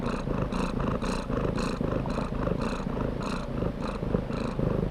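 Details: Close, deep cat purr with strong low rumble, each inhale and exhale marked by a bright breathy surge, repeating about twice a second in an even rhythm.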